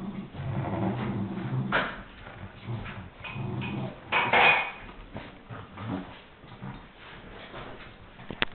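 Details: Two Miniature Schnauzers playfully attack a huge stuffed teddy bear, giving sharp barks mixed with low growls and whimpers.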